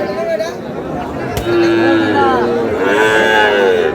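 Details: At a Satkhira market in Bangladesh, Sahiwal bull calves low in overlapping, drawn-out tones. Several moos of slightly different pitch follow one another, with people talking in the background.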